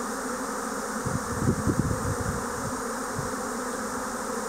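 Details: Swarming Japanese honeybees in spring 2024: a constant, dense humming drone from countless wings, with a brief cluster of low thumping knocks near the middle.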